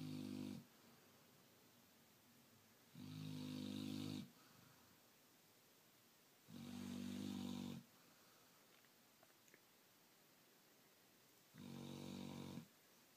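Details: Black Labrador Retriever female asleep and tired after staying up late the night before, snoring indoors: long rasping snores about one to one and a half seconds each, roughly every three to four seconds.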